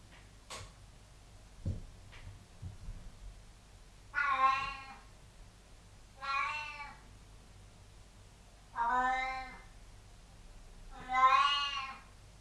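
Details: House cat that likes the water on the bathroom floor meows four times, each cry about a second long, harmonic and slightly falling, spaced roughly every two to three seconds, with a few faint knocks beforehand in a small room.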